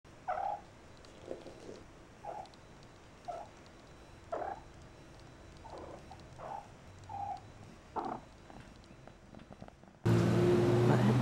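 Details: Persian kittens Bug (Grasshopper) and Maisie playing in a cat-safe outdoor enclosure one morning, the clump taking a beating; soft rumbling pulses recur roughly once a second, then a sudden loud noisy burst takes over at the end.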